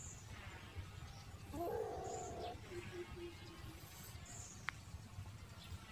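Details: A newborn family-dog puppy lets out a thin, wavering whine lasting under a second, then a few soft, clipped squeaks; scattered high bird chirps and a steady low background hum continue throughout.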